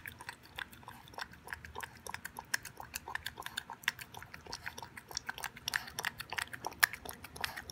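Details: Toby, an 11-week-old Boston Terrier puppy, eats his first raw beef dinner with veggies and yogurt indoors: steady wet chewing and smacking, with quick irregular clicks and bites throughout and a few sharper snaps near the end.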